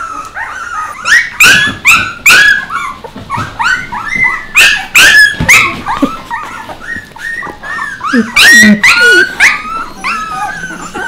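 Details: Several young puppies yelping and whining together, a dense run of high, squealing yips and bent whimpers repeated more than twice a second with uneven rhythm, some louder sharp cries standing out.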